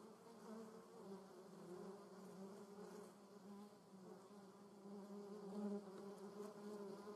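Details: German wasp in a garden producing a low, steady wingbeat drone, slightly wavering in pitch, softening briefly in the middle and growing louder near the end.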